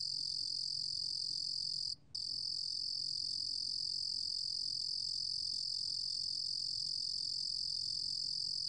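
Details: 루루곰귀뚜라미 cricket, from Korea's National Institute of Biological Resources, 2020, sounds an unbroken, piercing high trill throughout, interrupted only once by a brief silence near the two-second mark; quiet background.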